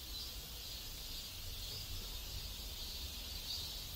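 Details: A steady cicada drone fills a South Korean neighborhood: a dense, high-pitched buzzing band with gentle rhythmic swells, set against a constant low-frequency rumble.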